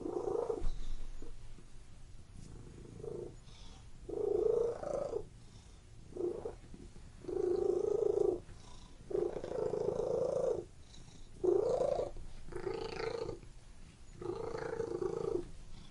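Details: Indoor domestic cat purring continuously, its coarse vibrating rumble swelling into louder bursts of one to one and a half seconds, then dropping between them, about eight swells over sixteen seconds in a quiet room.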